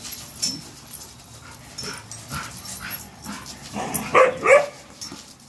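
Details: At a dog park, Cash the American bully plays, giving soft grunts early, then two sharp, bright barks close together near the end, with faint park ambience behind.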